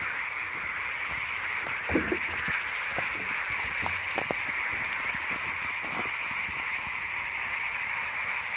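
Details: A frog chorus at the Şıh Mahmut Karagöl lakes, a forest lake in the Amanos Mountains near Dörtyol, Hatay, on 12 March 2024. Frogs are very active, making a continuous buzzing, high trilling wall of sound with occasional sharp clicks and soft knocks nearby.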